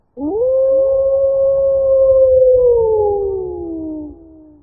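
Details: Wolf howling: a single long, smooth tonal howl that sweeps up quickly, holds a steady pitch for about two seconds, then slides slowly downward until it fades after roughly four seconds, over a faint low rumble.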